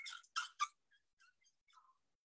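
Asian elephant giving shrill, high-pitched squeaks, short bursts that sound surprisingly mouse-like for so large an animal.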